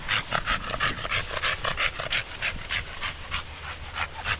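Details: Red Staffordshire Bull Terrier named Moses, a male pet who pants a lot from effort after short walks around a field; rapid breathy panting, about three pants per second, steady throughout.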